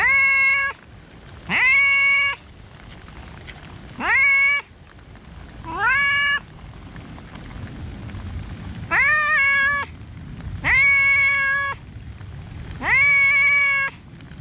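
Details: Park cats in the rain: a persistent series of seven or eight loud meows, some short and upswept, others longer and held, coming every one to two seconds with a quieter gap midway, rain pattering throughout.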